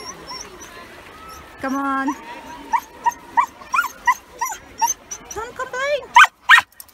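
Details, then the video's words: Male Samoyed Yuki, excited at a hot UK beach with kids and dogs about, makes his happy 'complaining' noise. A drawn-out buzzy moan leads into a rhythmic string of short upward whines and yelps, roughly three per second, ending in sharper cries. "Silly noise - complaining"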